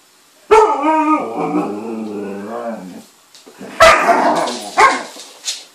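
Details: Alaskan malamute picking on another dog, giving a long, wavering, harmonic whine-howl that slides downward, then a pause before two sharp, harsh barks about a second apart.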